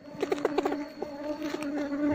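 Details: Honey bees humming as their nest is lifted out and beekeepers search for the queen to move the colony into a box. An even, low, continuous buzz with a run of quick tapping clicks early on.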